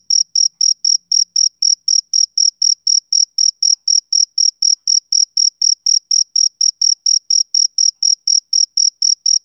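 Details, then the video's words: Summer-evening chirping of a male cricket, shrill, evenly spaced chirps at roughly four per second, each one short and bright, continuing without a break; no other animals, wind or voices. "Cricket Chirping Sound Effect"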